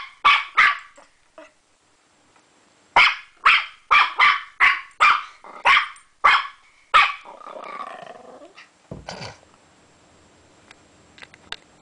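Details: Puppy barking while playing with a door stopper: two sharp yaps, a pause, then a fast run of about eight high barks, followed by a hoarse growling rasp and scuffling noises.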